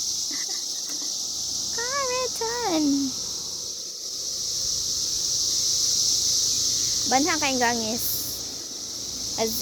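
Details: Cicadas out in 2021 keep up a continuous high, hissing drone throughout, while a human voice breaks in twice with short, rising-and-falling squealing sounds.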